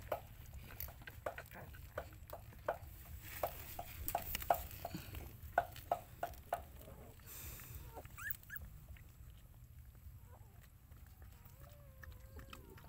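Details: Mother dog looking after her puppies indoors: short tonal yelps in the first half give way to thin, wavering high whines near the end, with tapping and clicking noises throughout.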